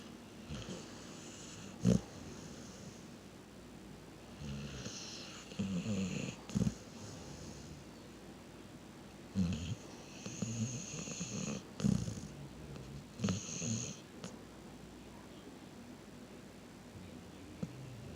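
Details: Dog asleep and snoring, soft rasping breaths coming in irregular bursts every few seconds, some louder snorts and hissing exhales between quieter stretches of near silence.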